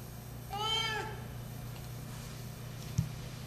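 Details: One short, arched meow from a 12-year-old female Siamese cat calling out while looking for love, followed by quiet room tone, a steady low hum and a single sharp click.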